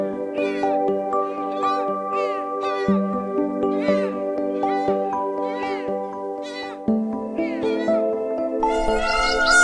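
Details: Domestic cat meowing repeatedly, about ten short rising-and-falling meows in quick succession, some drawn out and wavering, over steady background music.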